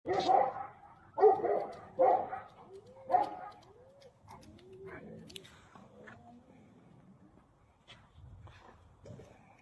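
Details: Tibetan Mastiff barking: four loud, deep, gruff barks about one second apart open the recording, followed by quieter human voices and faint background sounds.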